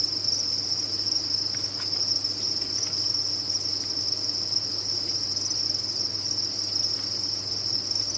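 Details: Crickets from a cricket farm keep up a continuous, thin, high-pitched buzzing chorus, even and unchanging throughout, with occasional faint taps and a gentle background hum.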